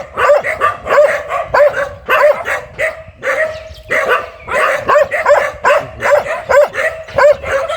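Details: A very fierce dog barks over and over, short harsh barks coming irregularly at roughly one to two per second, some doubled, with a brief louder burst partway through.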